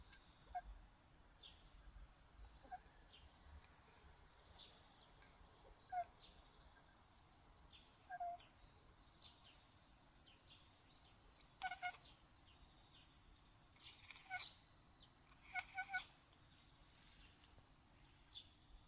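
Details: Riku, a black-and-white tuxedo cat, chattering while gazing outdoors in reaction to a bird; quiet, short clicking bursts come in scattered clusters, several packed close together near the end, over a faint steady background hiss.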